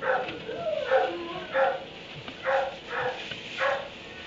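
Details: Kennelled dog in a barn at 3am giving a run of repeated barks, about six sharp harmonic bursts in four seconds with brief gaps between, over low background hiss.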